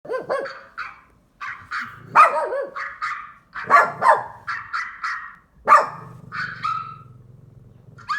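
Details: Pet dog barking at sound effects: sharp, high barks and yelps in quick irregular bursts, some with a whiny edge, followed by a low buzzing hum.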